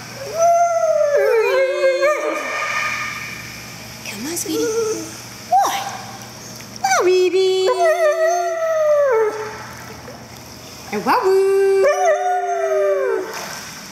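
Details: Siberian Husky singing while swimming at a private dog swimming club in Spring, Texas: loud, drawn-out, wavering howls that swoop and slide downward, in long phrases broken by short pauses, with people's voices alongside.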